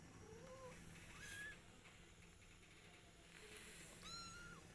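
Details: Domestic cats, a mother cat with her kittens and their father: short, thin, high mews that rise and fall, a few scattered through the recording, with a steady low household hum underneath.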